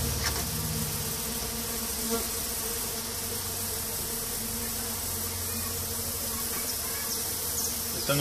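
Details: Mandaçaia stingless bee colonies being checked by their keeper in 2016: a steady, low buzzing hum with a few overtones, persisting for several seconds over a broad hiss of handling noise.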